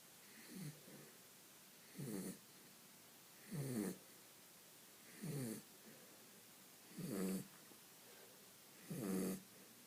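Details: A pet dog sleeping and snoring: six loud nasal snores with a rattling, fluttering texture, evenly spaced about every one and a half seconds, with quiet pauses between.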